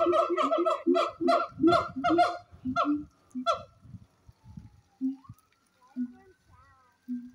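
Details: Siamang gibbons at Honolulu Zoo in 2023 communicate with each other in a fast run of loud, harsh, honking barks that fade into softer, scattered notes.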